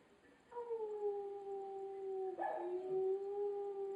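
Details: Rottweiler howling along in chorus while watching a clip: a long, smooth, steady tone that starts higher and slowly falls, then a brief break and a second sustained lower howl held to the end.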